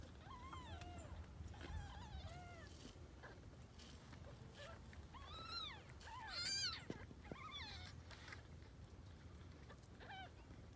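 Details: Grey tabby kittens, born to a formerly homeless female cat that was taken in, give a run of high, thin arched meows, several overlapping and repeated about once a second, over a low background hum.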